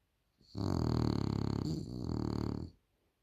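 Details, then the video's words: Loud snore from a French Bulldog, one continuous rasping, buzzy breath of about two seconds that dips briefly in the middle then carries on, in a quiet room. "The French Bulldog Snores Too Loud"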